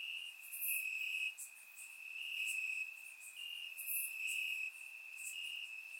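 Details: Crickets in grass on a warm Bulgarian summer night, surround-recorded: a constant high ringing trill rising into louder bursts about every second, with faint buzzing insects higher up.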